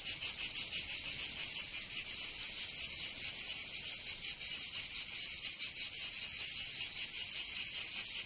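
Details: Summer cicada song from Provence in the south of France: a loud, high, rasping buzz beating in quick regular throbs, several per second, holding steady throughout.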